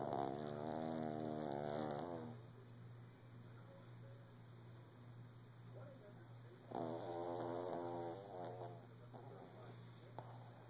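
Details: A male Shih Tzu lying down with his owner early in the morning snores in two long, wheezy, buzzing breaths over a steady low hum.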